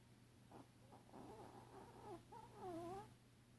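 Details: Tuco, a tiny Chihuahua, asleep and snoring as if he has apnea: wheezy, whistled nasal tones that waver, dip and rise across several breaths, growing louder and warbling near the end over a steady low hum.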